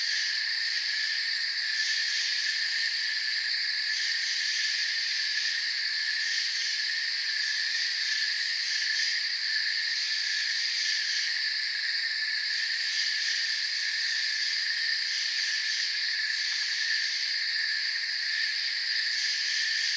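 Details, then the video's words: Crickets filling a moonlit forest with a long, steady, shrill trill chorus, many voices blended into layered high tones that barely change in loudness, a gentle pulsing shimmer over the whole stretch. "Forest Sounds and Crickets"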